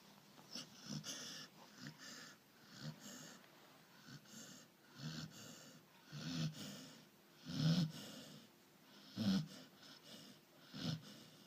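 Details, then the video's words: A sleeping Labrador Retriever snoring, low rumbling wheezy breaths repeating irregularly about every one to two seconds, some louder snorts among them. "Храпящей лабрадор"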